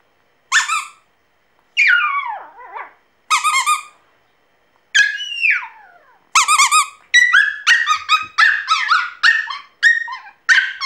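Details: An orange Pomeranian puppy "sings" in high, squeaky whines and little howls that slide downward.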